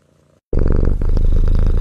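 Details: Kittens purring. After half a second of quiet, a deep, close, rumbling purr starts abruptly and continues steady and pulsing to the end.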